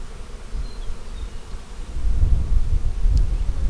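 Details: Honey bees humming during an April 15, 2017 inspection of a split made March 4 from a main hive divided three ways. A low, steady drone swells louder after the second second, with no voices.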